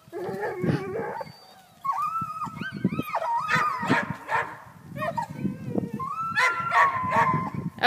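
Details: A Black and Tan Coonhound that has climbed a tree after a cat gives drawn-out, bawling barks that waver and slide in pitch, while a man talks to him.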